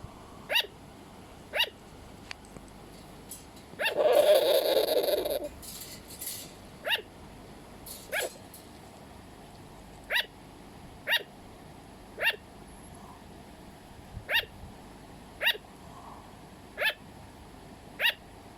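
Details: Pet sugar glider yapping in a long run of short, sharp barks about a second apart, interrupted early by a loud rushing noise burst lasting over a second before the barking resumes.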